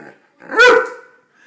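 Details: Borzoi (Russian Wolfhound) barking indoors for food during a nightly routine: one strong, rich bark peaking sharply then trailing off, with a person's quiet coaxing voice just before and after.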